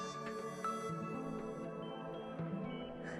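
Soft, sustained ambient music with layered tones plays throughout, and no animal sounds are heard.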